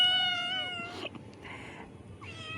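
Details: Hungry cats meowing as a woman prepares to feed them fish: a long, slightly falling harmonic meow at the start, then shorter overlapping cries, with soft room noise beneath.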